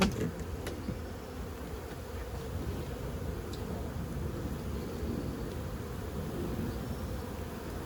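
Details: Colony of honey bees exposed while a 15-year-old hive is extracted from house siding: a continuous deep droning buzz, slightly pulsing, with a few clicks and knocks from the removal work.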